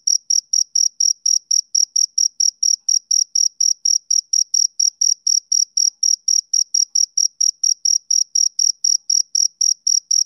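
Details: Rhythmic chirping from a male cricket: evenly spaced, shrill pulses at roughly four per second with a faint upper overtone. No other sounds.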